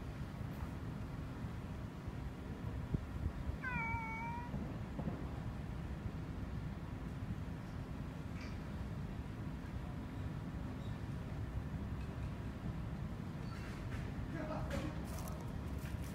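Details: Stray cat on the move outdoors: a single short meow, bent slightly upward then level, around four seconds, amid steady low rumbling background noise and a faint hum.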